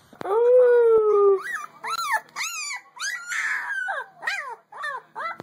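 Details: A female puppy opens with a long, steady, high-pitched howl lasting about a second, then a series of short, arched, wavering howls and yips, each rising then dropping in pitch.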